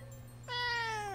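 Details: A pet cat held in its owner's arms during a live stream, giving one clear meow that starts suddenly halfway through and slides gently downward in pitch for under a second, in a quiet indoor room with a low hum.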